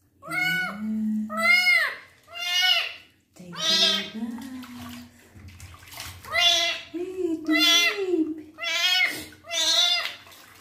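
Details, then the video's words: Male kitten meowing a lot during his first bath while his wounds are cleaned: a string of loud, harsh, repeated meows mixed with a person's soothing talk and splashing water. "KITTEN'S FIRST BATH, CLEANING HIS WOUNDS AND HE MEOWS A LOT"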